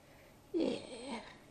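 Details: Gladys, an old adult female grey-headed flying fox with an apparent head injury, rescued from a busy road and in care indoors on her first night, gives one short wavering squawk, rising then sliding down, lasting under a second in a quiet room.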